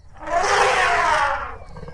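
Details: Elephant trumpeting in one loud, harsh blast of about one second, broad and noisy with a tonal edge, rising in and cutting off cleanly against quiet background.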